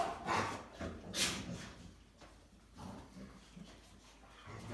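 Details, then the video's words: Three Rottweilers at play, giving a few short yipping barks and whines early on, then softer grumbling noises that fade toward the end. "Rottweilers Barking, Chewing, Humping, and Making Noise"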